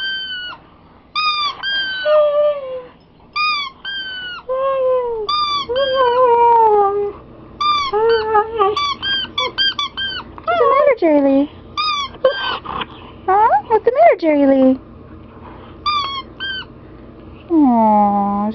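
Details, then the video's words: Pet Siberian Husky crying along with a squeezed squeaky toy: high, bright toy squeaks come in quick bursts, while the dog answers with lower, bending, wavering whines and a final drawn-out cry. "Siberian Husky (Jerry Lee) crys with toy"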